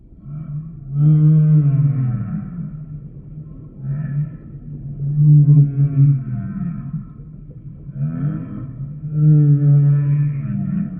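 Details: Humpback whale song: deep, harmonic moans that rise and fall, each lasting about two seconds and repeating roughly every four seconds, with faint higher overtones above the low tones.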